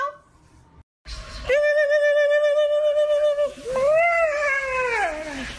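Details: Siberian Husky puppy howling: one long, steady, mid-pitched note held about two seconds, a brief break, then a second cry that rises and slides downward, with rich overtones in a small indoor space.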